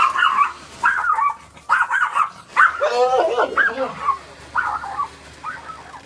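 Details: A Bloodhound and a Pom cross, household dogs, losing their minds with excitement about going outside; a string of short, high, whimpering yelps repeated about once a second, with a louder harmonic bark midway.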